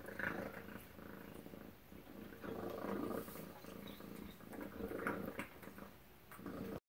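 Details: A domestic cat purrs steadily at breakfast, a low rumbling drone that swells and fades with its breathing.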